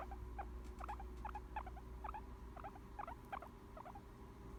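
A guinea pig makes soft, repeated squeaky chirps, a few each second, sounding relaxed and content.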